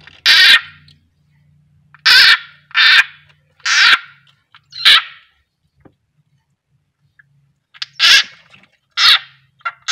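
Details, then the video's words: Frog caught and eaten by a pet keeled rat snake (Ptyas carinata) during feeding, crying out in loud raspy squeals, roughly eight short bursts, some in quick pairs, separated by silence and a faint low hum. "Beginilah suara katak kalo teriak"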